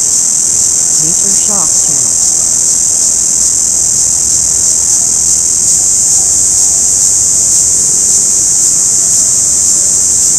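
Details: An orange cicada calls with a continuous high-pitched hissing buzz, even and unbroken throughout, with a brief faint lower voice or knock near the start.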